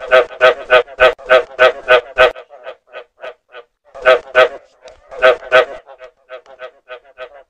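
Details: Lure recording of frog calls: a fast volley of about ten loud, harsh croaks, then softer spaced croaks, followed by another short loud burst and a dwindling series of quiet croaks.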